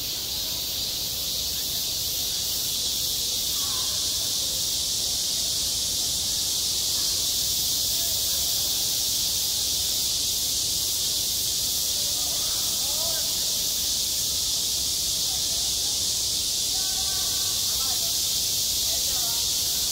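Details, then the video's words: Midsummer cicadas calling at a schoolyard playground, self-recorded: a steady, intense high buzzing wall of sound lasting throughout, with scattered faint lower chirps and murmurs in the background. "한 여름 운동장에서 매미가 울고 있다 - 여름의 소리, 학교 종소리, 매미 울음소리"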